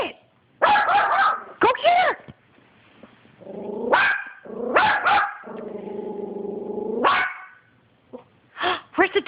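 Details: Yorkshire Terrier barking at a dog on TV while a person urges it on: clusters of sharp barks broken by long, low, steady growl-whines, with speech woven throughout.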